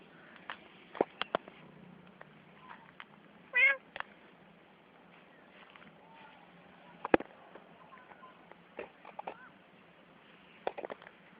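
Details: Playing cat letting out a brief wavering meow, then fainter mews later, among scattered taps and clicks and soft human speech.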